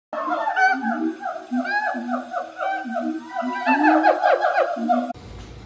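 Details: Siamang (Symphalangus syndactylus), loud call.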